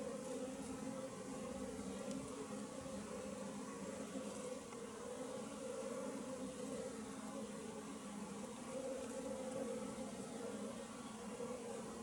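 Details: Wild western honey bee colony living in a tree, a dense steady hum of many bees with bands around the low and middle pitches, continuous throughout at an even level, no other clear sounds.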